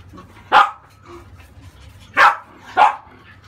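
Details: Female French Bulldog puppy, 30 days old, yelping during a bath to wash off crusted skin buildup: three sharp, short yelps, one alone and then a close pair about half a second apart, in a quiet small room.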